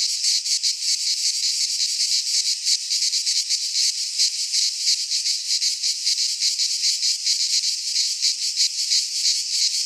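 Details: Many cicadas in a Greek pine forest in midsummer fill the air with a harsh, sizzling high buzz, rapidly throbbing without pause from start to finish.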